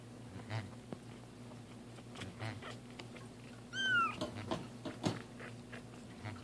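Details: Two pet cats learning to have their first bath; after several seconds of faint water clatter, a single brief falling meow rings out, followed by taps and splashes over a constant low hum.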